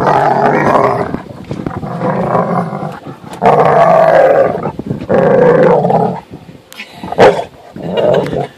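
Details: Dog on a boat in a tantrum at having to get out of the water and head home: bursts of moaning, grumbling whines about a second apart, broken by short pauses, with human voices over them.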